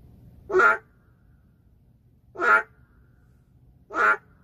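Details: A single endangered boreal digging frog in the city giving three loud, short, buzzy croaks spaced about one and a half to two seconds apart, with near silence between them.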